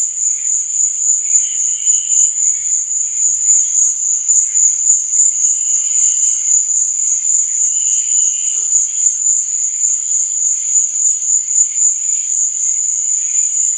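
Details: Night chorus of crickets, one shrill continuous high-pitched trill never pausing, while a few short, lower buzzy chirps appear at intervals of several seconds in the background.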